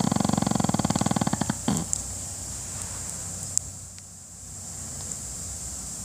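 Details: A napping Pekingese dog snoring indoors: a rapid rattling, buzzy pulse train for under two seconds, then it stops and only a quiet steady room hiss remains.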